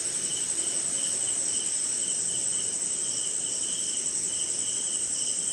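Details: Crickets calling through a short nighttime rain in an Indian jungle swamp, alongside other insects: a constant shrill ringing trill and a lower rhythmic pulsing chirp in bursts, with a quiet wash of rain.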